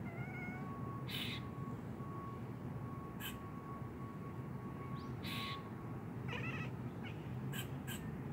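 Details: A domestic cat gives short chirping chatters and brief meow-like calls in reply to the chatter of a squirrel up on a telephone wire.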